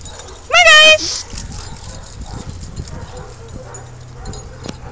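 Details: Weimaraner among a group of the dogs giving one short, loud, high yelp that rises and then holds briefly, followed by quiet shuffling and faint low sounds.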